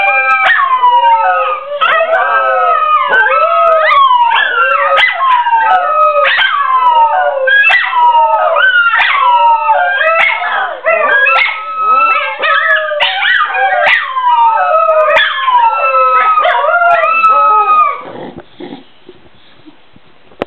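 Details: Several Scottish Terriers from a Polish kennel 'singing' together: overlapping wavering howls and yelps sliding up and down, densely layered for about eighteen seconds before trailing off into quiet.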